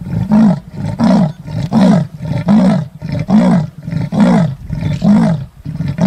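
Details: Male leopard roaring while circling a tree that is home to a male and female pair, searching for his female, filmed on an iPhone: deep, rough sawing roars repeated about once per second in a steady run of eight or nine.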